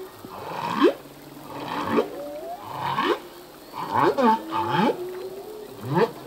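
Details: Humpback whale song from a singing male at sea: a run of short upswept cries, one roughly every second, with bright harmonic bursts and falling glides weaving between them.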